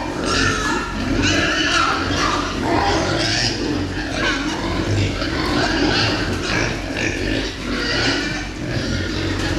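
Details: Meat pigs on a farm raised for fast growth, many animals calling together in a continuous chorus of rough grunts and squeals, with broadband barn noise throughout.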